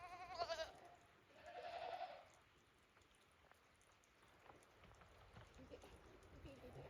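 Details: Goats on snow at Yoshigake Farm on 28 December 2023, stepping out nervously after a heavy snowfall; a short bleat opens, quickly followed by a longer, shaky, drawn-out bleat, then quiet rustling and faint background noise.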